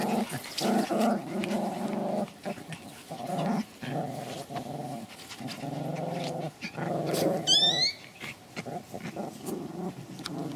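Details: Pomeranian from a Kyiv kennel growling in a small indoor room, a low rumbling growl in repeated bursts with brief pauses, a woman speaking softly nearby and a short squeaky noise near the end.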